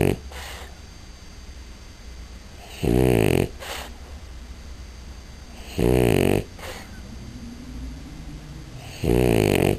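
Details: Butcha, a French Bulldog female that snores a lot, sleeping indoors: loud rasping snores with a rattling harmonic buzz come about every three seconds, each lasting roughly half a second, with soft breathing between them.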